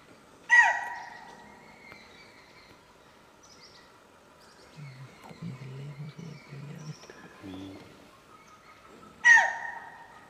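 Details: A deer, possibly giving a warning call, gives two sharp, shrill barks several seconds apart, with faint low murmuring between them.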